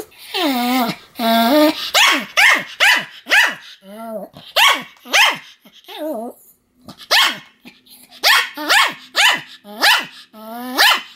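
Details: Pomeranian barking nonstop: two long whiny cries, then a fast run of high sharp yaps roughly every half second, with brief softer whimpers between, and a faint steady hum in the background.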